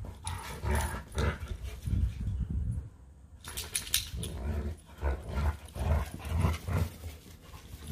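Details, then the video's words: Leonberger and Labrador play fighting together: rough, throaty growls and snarls arrive in rapid, almost continuous bursts, broken by a brief lull near the third second, with scuffling throughout. "A LEONBERGER & LABRADOR PLAY FIGHTING"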